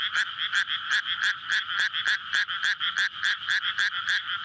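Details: Frogs chorusing for courtship in a flooded rice paddy on a May night beside a road, recorded with a SONY PCM-D100. Loud, close croaks repeat rapidly, about three or four a second, in a steady throbbing rhythm.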